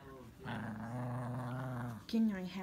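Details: Pet Chihuahua growling indoors while attacking the towel he was dried off with; a steady low rumbling growl lasts about one and a half seconds, followed by a short higher whine, with a person's voice nearby.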